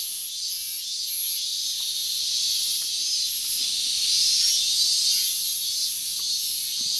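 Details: Minmin cicada calling since morning on 12 August 2019, in a year when it started calling late; dense high buzzing with rhythmic pulses about three per second, steady and loud throughout.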